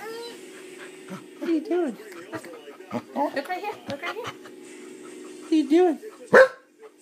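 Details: A corgi seemingly "asks a question" with wavering, whiny grumbles that rise and fall in pitch, ending in a sharp yip.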